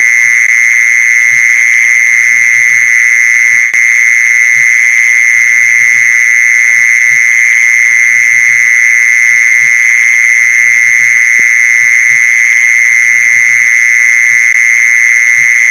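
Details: Mole cricket sound played to lure mole crickets: one unbroken, steady high-pitched trill with a fainter higher overtone, constant in loudness throughout, with soft low knocking sounds underneath.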